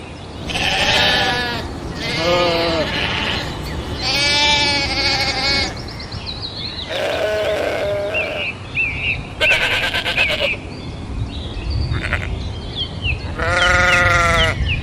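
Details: Domesticated sheep bleating repeatedly, several wavering, nasal bleats about a second long with short gaps, later a brief burst of broadband noise and thin high chirps before a final loud bleat.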